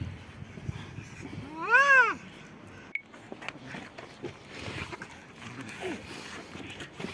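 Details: A white cat and a black cat fighting; one loud harmonic yowl arches up and down early on, followed by a sharp click and quieter murmuring, rustling background.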